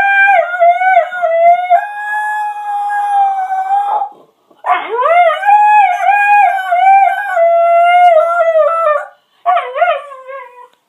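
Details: A pet dog's evening howl: sustained, even-pitched wailing notes with strong overtones, a four-second held tone, then a rising, wavering howl and a brief final falling cry after short pauses.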